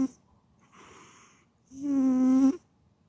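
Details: A domestic cat asleep: a gentle breathy out-breath is followed by one long, loud, droning snore of nearly a second, then silence.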